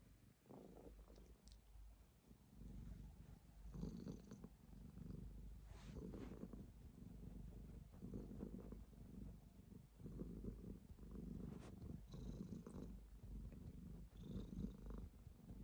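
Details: Domestic cat purring steadily, a low rumbling pulse in long rhythmic breaths with brief pauses between them; faint clicks and rustles sit on top of the continuous low drone.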